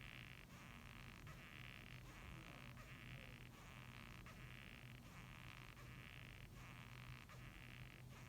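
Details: Japanese rhinoceros beetle giving a rasping, creaky squeak, written as gyui-gyui, gyu-gyu: a run of broad grating pulses, each about half a second long and repeated roughly every 0.8 seconds, over a steady low hum.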